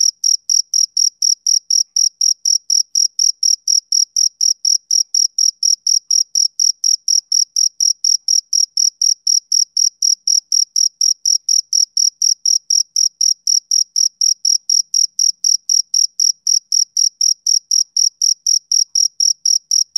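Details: A male cricket keeps up continuous chirping on a summer evening. Short, piercing notes come at about four per second in a long, uniform series, with no other noise.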